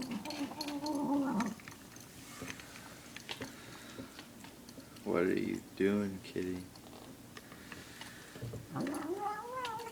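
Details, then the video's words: Pet cat voicing odd noises as it eats: a wavering moan at the start, a loud rising-falling yowl near the middle with broken pulses, then another rising moan, with chewing clicks between. "Funny cat making weird noises while he eats his food"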